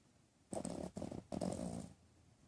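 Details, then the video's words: Dreaming dog Poof gives two short, rasping snore bursts, each under half a second, separated by a brief pause, in a quiet room. "Poof Snoring and Dreaming"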